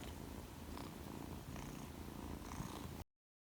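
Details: Newly homed two-month-old Persian kitten, a male, purring: a deep, rapid rhythmic rumble pulsing about four times a second, ending abruptly after three seconds.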